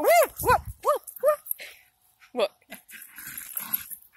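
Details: Two Jack Russell Terriers give a few sharp, clear barks in quick succession at the start, then a single bark and scattered noise, with a person's voice nearby.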